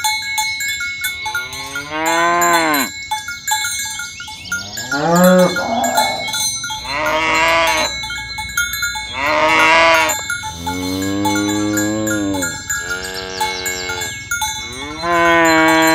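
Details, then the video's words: Tame cows herded in the morning along village roads toward the pen, calling companions to gather: several long, deep moos, some rising then sagging, a few overlapping in quick succession, over steady clanking cowbells. "Suara sapi lembu berkeliaran di ladang rumput hijau memanggil kawan untuk berkumpul - Bunyi sapi"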